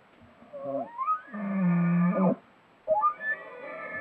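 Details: Bull elk calling in the dark at night: a whistled glide rising steeply into a long, strained, harmonic-rich note, then a second rising whistle after a short pause.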